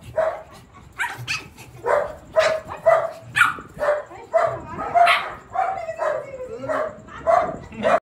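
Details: Mimi the Shih Tzu on the attack, giving rapid, uneven barks and yips, nearly two per second, with a drawn-out whine between bursts and a faint human voice.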